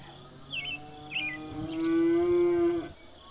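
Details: Domestic livestock cattle on a farm: two brief high chirps first, then a drawn-out moo lasting over a second, an even, sustained, harmonic-rich tone that ends abruptly, with a calm, quiet backdrop.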